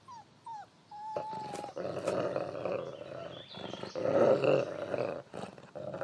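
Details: Lighthawk, a wolf father of seven pups, grows grumpy as the pups pester him; a few short whines and one long thin whine open, then a sustained, throaty growling rumble with pulsing swells to the end.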